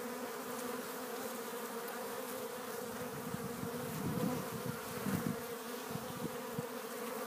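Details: Many honey bees bringing pollen into a Warre hive entrance on April 12th in spring; continuous layered droning hum, with two louder buzzing passes of single bees flying close around four and five seconds.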